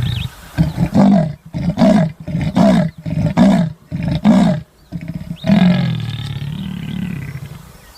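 A leopard gives a series of deep, rasping grunts, about one every two-thirds of a second, like sawing wood.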